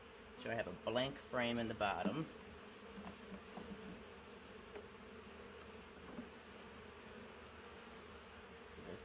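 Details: Huge swarm of honey bees from a three-year-old wild woodland hive, taken in a swarm trap; after a couple of seconds of talking, a continuous even buzzing hum fills the rest, with faint scattered clicks.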